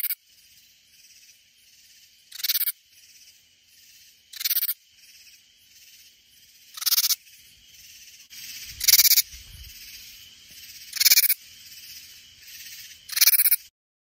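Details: Katydid noises from Hill Country near San Antonio, Texas: a regular series of harsh, buzzy bursts about every two seconds, with a brief low rumbling noise in the middle of the sequence.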